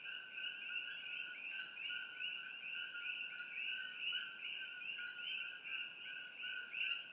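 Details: Dense overlapping chorus of Coqui frogs along Old Mamalahoa Highway near Hilo, Hawaii, beside the Hawai'i Tropical Botanical Garden; many high, bright two-note calls repeating rapidly with no gaps, over a faint steady high hum.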